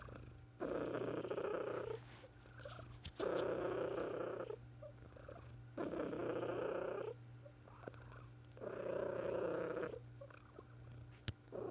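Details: A female pet cat purring in her final moments in 2018, after falling sick in her last weeks; loud rhythmic purring bursts of about one to one and a half seconds alternate with quieter breaths, over a steady low hum.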